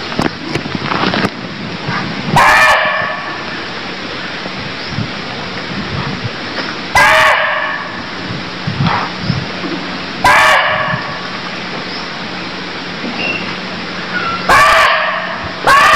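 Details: In Cambodia a deer repeats abrupt, rasping bark-like calls, four of them at uneven gaps of three to five seconds, over a noisy outdoor background with scattered faint clicks and chirps.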